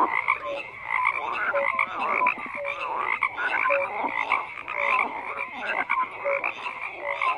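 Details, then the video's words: Dense chorus of many frogs croaking at once, rasping pulsed calls overlapping continuously with short tonal notes popping out about every second; no other sounds stand out. "FROGS CROAKING"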